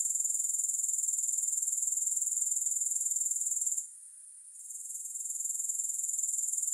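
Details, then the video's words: A rapid, even pulsing of high, thin grasshopper trills, presented as relaxing sound without music, cutting out abruptly midway into a brief faint hush, then building back to the full steady chorus. "3 Hours of Grass Hopper Sounds"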